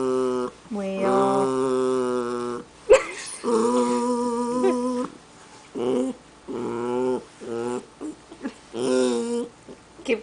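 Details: Jackshund pet dog crying and grumbling at his granny indoors: a string of short, wavering moans and whines of varying pitch, separated by brief silences, with some breathy noise between them.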